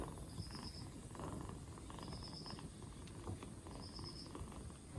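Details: Black Bombay kitten aged two months, rescued four days earlier and regaining energy after a cold, gives a quiet, continuous low purr beneath a recurring thin high beep-like chirp.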